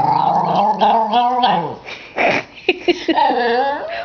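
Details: A 10-year-old female Cairn Terrier grumbles in long, wavering, talk-like moans and whines that rise and fall in pitch, complaining when her toy is not thrown fast enough.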